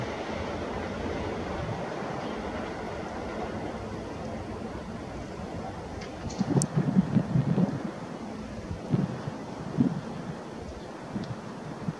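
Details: Only wind rumble and low engine-like noise, with a few dull thumps midway and no clear bird call.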